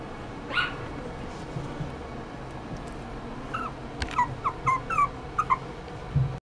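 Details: Poodle x Maltese mix puppy whimpering: a single thin whine early on, then a quick run of about six high, whistled whimpers with a slight downward bend, packed between four and six seconds over quiet indoor noise.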